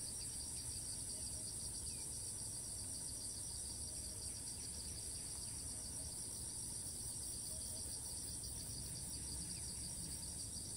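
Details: Cicada in Thailand, repeatedly flying off and resuming its call as soon as it lands, recorded from a distance: a steady, shrill, pulsing buzz in two high bands runs throughout over low rumbling background noise.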